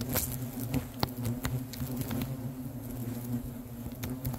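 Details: Agitated hornet colony, a low droning hum with steady buzzing tones underneath, overlaid by scattered clicks and taps as insects move about.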